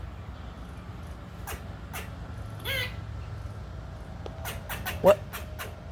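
A squirrel gives sharp, raspy chucks in scattered bursts, scolding a cat, with a person talking nearby.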